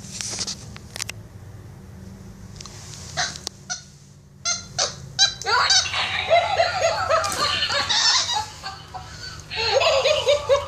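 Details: Capuchin monkey Instinct, a household pet, during play fighting with a toy monkey: scattered clicks and squeaks, then a dense run of rapid, harmonic chattering squeals repeated about twice a second, growing louder toward the end.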